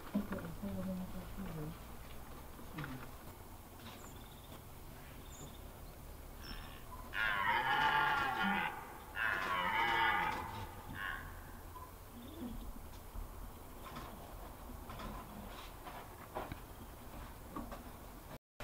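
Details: Red deer stags in the rut at Hoge Veluwe, 22 September 2021; two stags in one spot, one chased off without a fight. Two loud, harsh, drawn-out roars mid-clip, each about a second and a half, over a quiet background.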